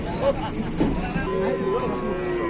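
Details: Cow caught in a trapped position calls with brief, low, tonal moans, one held and gently rising near the middle, amid steady background rumble and occasional voices.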